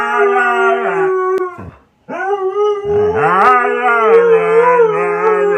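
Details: Husky howls in two sustained stretches separated by a short pause, the second starting with a swooping upward slide before settling into a level, quavering tone over a deeper companion voice.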